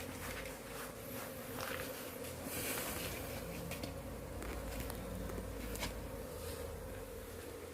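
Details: In Ciseke village, Cibeber, Indonesia, wild honey bees fill the air with a steady, low droning hum while a colony is moved into a still-empty hive with no honey yet, with faint rustling and tapping of handling.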